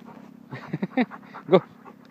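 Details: Irish Setter giving a short run of voiced, whining whimpers, several brief tonal bursts with the loudest near the end, over a steady low hum and a few faint spoken words.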